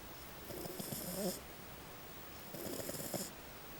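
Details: Little female French Bulldog snoring loudly while asleep, two drawn-out rattling snores with a hissy airy edge, each near a second long, separated by a quiet pause of about a second.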